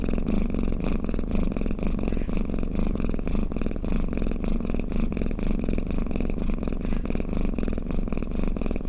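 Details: Sleeping house cat's snore: an unbroken deep rumble, pulsing roughly twice each second in even breaths, recorded up close with nothing else audible.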